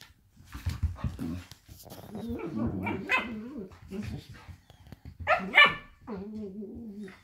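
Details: Two blue roan working cocker spaniels play-fight, growling and yapping with harmonic whines and short barks.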